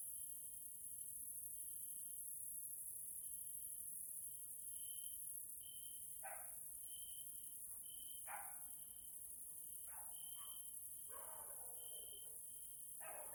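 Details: Evening grasshopper sounds from a nature area in Hungary, Central Europe: a continuous high-pitched shrill wash with an on-off pulsing trill above, interrupted by several short clicking bursts in the second half.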